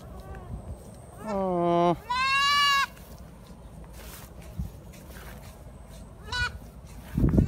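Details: Young goat kid, brought along while grass is being cut, bleating eagerly like a kid that has just found food: a falling wavery bleat, then a longer rising quavering one, a short bleat later, with rustling and faint voices.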